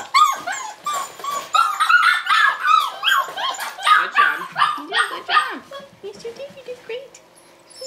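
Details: Tamaskan Dog puppies, five weeks old, at play in the box game: a busy stream of squeaky whimpers and short yips, several pups overlapping, fading to softer whines at the end.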